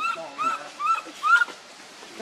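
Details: Baby monkey Leo, separated from its mother, cries while begging for milk: four clear whistled wails, each arching up then down, spaced about half a second apart, then a short pause.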